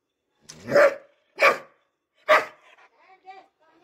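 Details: Three sharp, punchy barks from a Dobermann being trained, spaced under a second apart, each with a clear tonal core, trailing off into a few soft, faint, broken tones.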